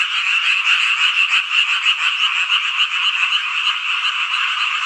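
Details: Frogs in a summer-night chorus in Hongcheon, Gangwon Province, South Korea: many callers overlapping in a dense, steady wall of rapid croaking trills, bright and high-pitched, with a fast, slightly pulsing beat and no other sounds.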